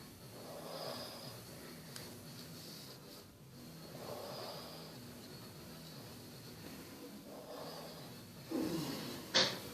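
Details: Sleeping Basset Hound Bertie breathing noisily: soft, airy snore-like breaths every few seconds, ending with a sharp snort-like sound.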